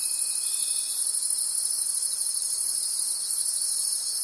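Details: A forest at night full of cricket calls: shrill, unbroken trills layered into a chorus with rhythmic swells; a brief steady tone sounds during the first second, then only the insects continue.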